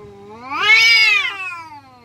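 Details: Village cat yowling during a fight: a single harmonically rich wail rising quickly to a loud, strained peak, holding briefly, then falling away.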